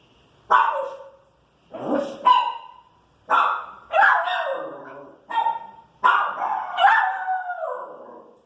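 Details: Irritated Pinscher reacting to street noise with a run of about seven loud, sharp barks, some stretched into short falling yelps, spaced roughly a second apart.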